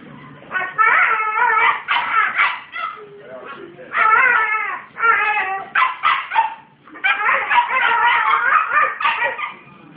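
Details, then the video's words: A 19-month-old Australian Cattle Dog gives wavering, dingo-like howls and yodels in bursts of a second or two, teaching a 10-week-old puppy its dingo noises; owner counts 10 sound variations. "Australian Cattle dog Making dingo sounds, volume beware"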